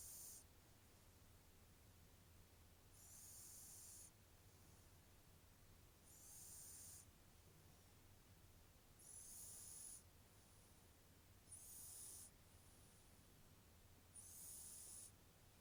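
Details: Snoring of a cat named Ponta, six soft hissing breaths with a thin nasal whistle, each about a second long and coming roughly every two and a half to three seconds, over a quiet low background hum.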